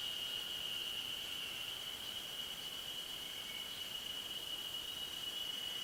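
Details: Ezo harusemi cicadas calling on a ridge at 900 m in the Ashiu old-growth forest in spring, 26 May 2012, recorded with an external stereo mic: a steady, unbroken high shrill drone at an even pitch throughout.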